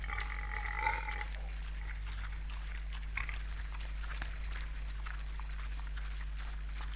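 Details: Wild boars on a busy winter feeding ground in an Estonian forest, eighteen counted, filmed by forest camera on 12 December 2012 at 16:53. A short, tonal, harmonic squeal in the first second, then faint scattered grunts and rustling over a steady low hum.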